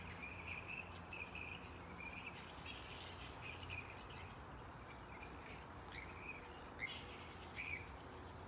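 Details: Chattering flying fox colony, Yarra Bend Park, 4 December 2022; a steady run of squeaky, scratchy calls with sharper screeching bursts near the end, set against low continuous ambient hum.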